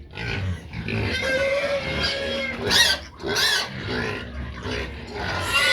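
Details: Pigs clamouring for feed: loud, harsh squeals and grunts overlap throughout, with rising shrieks near three and three and a half seconds and a sustained whining note in the middle.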